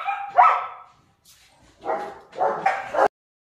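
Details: Young German Shepherd pups kept at Zondiram Kennel give a high yap, then after a pause two more raspy, clustered barks before silence.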